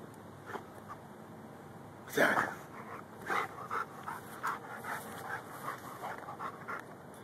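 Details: Rhodesian Ridgeback and Bull Mastiff mix named Lou digging for gophers in a yard, filmed on a Samsung Galaxy S3; rhythmic breathy panting pulses throughout, with one louder burst near the start of the digging sounds.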